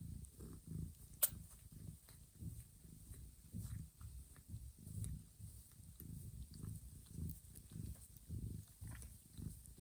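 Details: While her kittens sleep in a quiet room, the mother cat Johanna carefully licks them awake for feeding. A soft, low, pulsing rumble repeats in breathing rhythm, and one sharp click is heard near the start.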